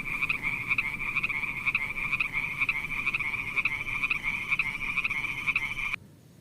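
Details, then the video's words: Frog calling in a beautiful pond: a rapid, steady, high-pitched pulsed trill with louder beats roughly twice a second, running for six seconds and then stopping abruptly, leaving quiet background hiss. "Funny little frog sounds"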